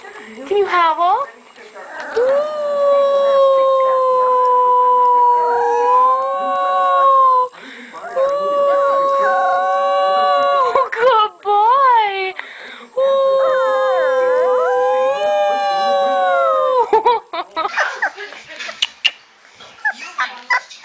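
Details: Puppies howling in long sustained wavering tones, several drawn-out howls separated by brief breaks, with yips and quick pitch swoops between, ending in clattering noise.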